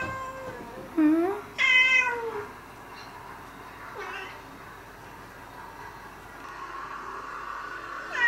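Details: Stray and pet cats near a home in spring: two loud drawn-out meows close together, one rising and wavering, followed by a fainter short meow and quiet background.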